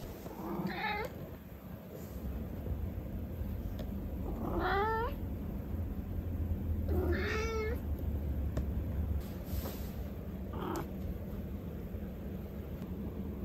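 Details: Turkish Angora cat, the most talkative of a household of fluffy pet cats, gives four separate meows over about thirteen seconds. Some are short and some are drawn out and rising, with a steady low hum underneath.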